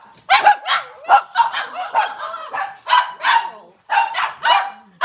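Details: Cavalier King Charles Spaniel indoors on a kitchen camera on a cloudy Monday morning, giving bursts of sharp, high yipping barks in quick clusters of two or three, with short pauses between.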